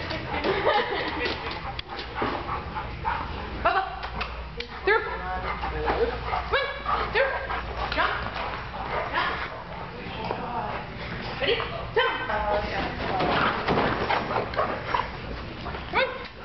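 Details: Two-year-old male American Bulldog tired from playing with other dogs on his birthday, during agility training: repeated short barks and yips amid a person's talking and background noise.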